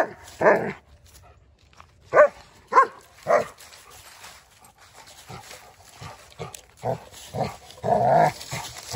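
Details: Odin, a German Shepherd, barking while attacking a log: deep, rough barks at irregular spacing, some loud and others softer and clipped, with low scuffling between them.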